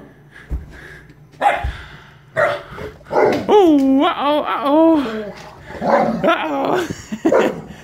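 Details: Siberian Husky puppy about 11 weeks old, a week-new family pet, playing with a Mastiff at day's end; loud wavering howl-like yowls with bending pitch, short yips and growly bursts, with a woman's encouraging voice between.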